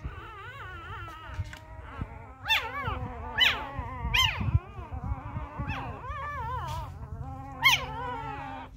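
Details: Newborn Labrador Retriever puppies, hand-fed fresh milk because their first-time mother has been deserting them, whimper and whine in high, wavering, rising-and-falling cries with occasional sharper squeals, over a low steady hum.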